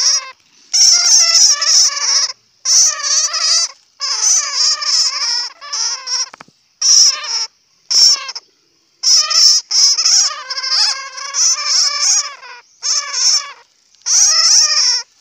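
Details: Bat, or puav in Hmong, giving loud, shrill squealing calls rich in harmonics. They come in bursts of one to two seconds, separated by brief silences, with a piercing high squeak running through each burst.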